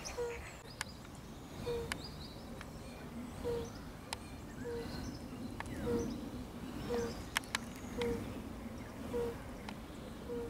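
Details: European fire-bellied toad gives soft, low, hooting 'oop' notes about once a second, recorded 4 April 2016 in Lilli Wenedy park, Kraków.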